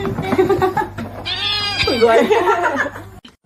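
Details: Kitten meowing and crying in a funny-cats compilation: drawn-out, wavering meows in the middle stretch, heard over people laughing and talking, with a steady low hum underneath.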